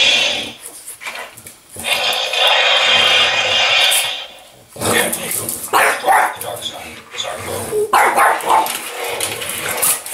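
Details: Apple, a French Bulldog, play fights indoors with an interactive Yoda toy, giving rough, noisy growls and snorts in bursts over the toy's loud spoken lines and sound effects.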